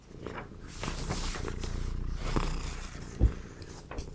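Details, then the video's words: Domestic cat purring indoors beside a spring, cherry-blossom themed paper collage session; a steady low rumble runs throughout, with soft paper rustles and a short sharp tap near the end. "Occasional Cat Purring"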